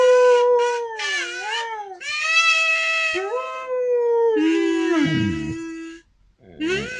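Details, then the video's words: Domestic dog singing along to a kazoo, drawn-out wavering howls that slide and dip in pitch, mixed with buzzy kazoo tones, ending in a lower falling wail before a brief silence. "My singing dog"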